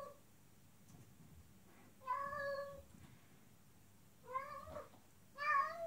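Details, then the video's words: Female cat in heat calling to a male outside, giving drawn-out harmonic meows around 2, 4.5 and 5.5 seconds, each rising then falling, with quiet background between calls. "Female cat in heat meows to male outside"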